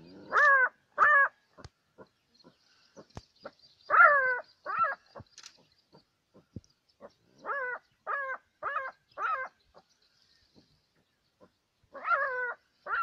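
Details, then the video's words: Jackal, one of a couple confronting a caracal, giving clear harmonic yelps in short bursts, about fourteen over thirteen seconds, some in quick pairs with short pauses between clusters; a faint steady high hiss behind. "Jackal couple vs a caracal"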